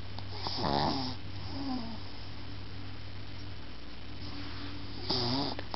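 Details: Toff, a Shih Tzu puppy, sleeping in its owner's arms indoors and snoring: two wheezy, whistling snore bursts with rising and falling tone, one near the start and another about four seconds later, over a quiet, steady low hum.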